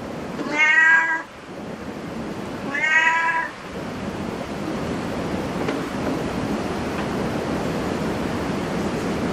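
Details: Cat at a cat cafe giving two clear, harmonic meows about two seconds apart in the first four seconds, followed by steady indoor room hum with no further calls.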